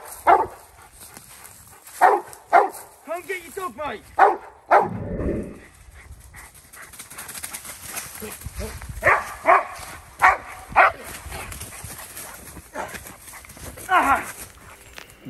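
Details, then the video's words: Young American bulldog on its first outing in a woodland setting during protection training, barking in short harsh bursts at uneven intervals, with a whine, handling noise and background rustle between barks. "American Bull dog woodland protection training"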